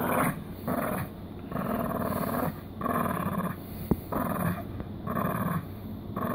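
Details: Mini poodle giving repeated throaty growls, roughly one per second, each a buzzing rumble separated by brief pauses, with a single sharp click partway through.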